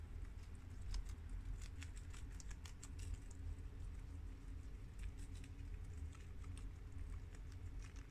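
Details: Crisp, rapid crunching as four guinea pigs (American, mini yak and Abyssinian breeds) chew freshly washed garden romaine lettuce, clicks clustered in busy runs then thinning, above a constant low background hum.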